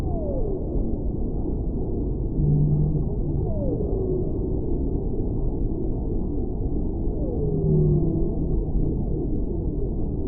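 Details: Three sliding downward calls from a whale, each followed by a brief low steady tone, spaced about four seconds apart over constant deep background noise.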